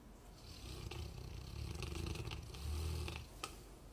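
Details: Golden retriever asleep and snoring: one long, low rumbling snore swells steadily for about three seconds before fading, with a short sharp click just after, otherwise quiet.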